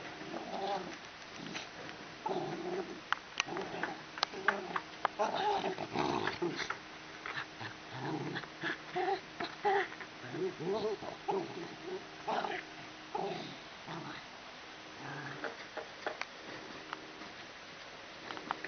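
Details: Two dogs, a Keeshond and a Pomeranian, playing together with a ball; frequent short growling and grumbling bursts run throughout, some overlapping, with occasional human voices in the background.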